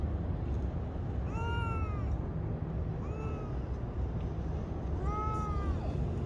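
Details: Stray cat on a city street meowing while petted: three clear, arched mews about two seconds apart, over constant low traffic rumble.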